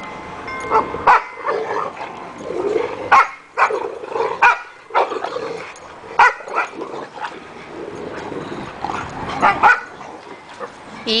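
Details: Several dogs playing with a rope give short, sharp barks and growly yelps in uneven bursts roughly every second, some louder and higher, with brief quieter gaps between; a man's voice follows at the end.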